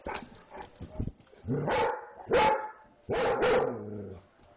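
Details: Dog gives several loud, harsh barks, some drawn out into growling yowls, in bursts roughly a second apart, with softer short sounds at the start.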